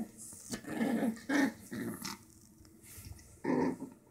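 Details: Toro, a pet dog, growling while playing with a stuffed animal toy newly found in old boxes: rough mid-low growls in short bursts, four main surges separated by brief pauses, with rustling play noises indoors.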